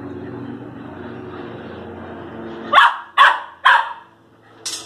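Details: Young Airedale Terrier, close to its first birthday and living alongside a Lakeland Terrier, giving three quick sharp barks about half a second apart, then a softer fourth, over a steady low hum.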